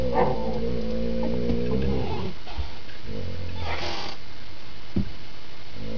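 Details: Sick dog in rough play with a younger female dog, growling low and steady for the first two seconds, then quieter rumbles and a short scuffling burst near four seconds; sounds fierce though the game is friendly.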